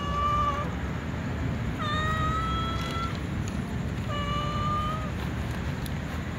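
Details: Tom cat and white cat with others, meowing ahead of feeding: three clear, level, tonal meows about two seconds apart, each lasting roughly one second, over a soft low rumble.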